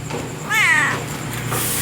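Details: Si Meong, a domestic cat living at a roadside coffee shop in Aceh, Indonesia, that keeps company through the night until dawn: one clear, drawn-out harmonic meow, rising then gently falling, over steady background hum.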